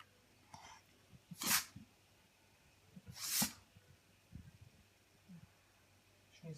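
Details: A pug sneezes twice after being told to look at the light, each a sharp, explosive burst of hissing air about two seconds apart; the owner suspects something got into its nose.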